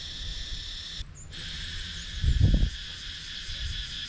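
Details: Cicadas calling in wooded countryside near Sakon Nakhon, Thailand, recorded on an action camera: a steady, dense, high shimmering drone with fast pulsing. It cuts out briefly near the start, and a low thump follows midway.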